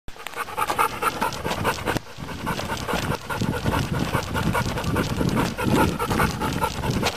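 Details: Dog breathing hard like a steam engine, rapid rhythmic huffing panting around two breaths per second, broadband puffs with a brief pause near two seconds.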